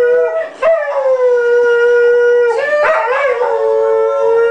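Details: A pet Dalmatian joins a happy birthday song with a long, steady, drawn-out howl, briefly pausing and then rising into a fresh sustained note that wavers slightly.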